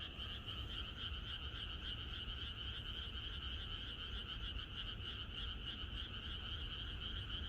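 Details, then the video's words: Rural frog chorus heard the night before rain, many callers overlapping in a loud, constant, slightly pulsing trill that never pauses, backed by a low continuous rumble. "이것이 자연의 소리 ~개구리들의 합창"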